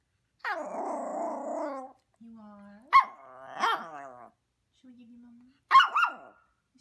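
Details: Talkative Maltese puppy vocalizing indoors: a drawn-out nasal whine, then short rising yips and moaning howls in bursts, separated by brief low steady tones and gaps.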